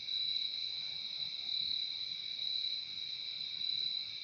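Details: Many crickets trilling at once, a constant high ringing pulse in two stacked tones, steady from start to end over quiet low background noise.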